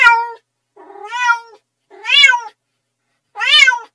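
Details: Domestic cats meowing: four separate tonal meows, each about half a second long, with clear stacked harmonics, some rising then falling in pitch, spaced with short silent pauses between them and no other sounds.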